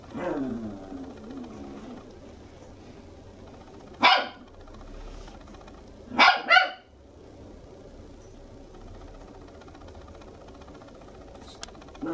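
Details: Toy Poodle puppy, a two-month-old red female, inside a home in Machiya, Tokyo. A soft, wavering whine opens the recording, followed by one sharp bark and then a quick double bark. The room is quiet otherwise.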